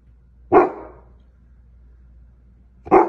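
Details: Golden Retriever indoors during the quarantine, letting out two loud, abrupt single barks about two and a half seconds apart, with a faint low hum between them.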